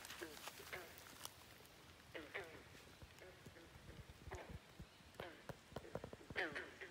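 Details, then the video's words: Frogs at Great Falls National Park, McLean, Virginia, keep up non-stop croaking: short, ringing, nasal croaks, often in pairs or small clusters. Soft clicks and rustles are heard between the calls. "Frogs Croaking at Great Falls National Park in McLean, Virginia. Non-stop croaking"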